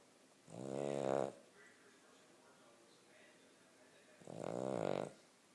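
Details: Asleep Cavalier King Charles Spaniel gives two long, rasping snores, each about a second long and roughly three seconds apart, over a faint indoor background.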